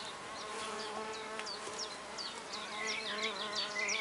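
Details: Female red orchard mason bees, solitary, busy at a drilled oak nest block in a garden: an even low buzz holds steady beneath quick, sharp bird chirps that grow denser toward the end.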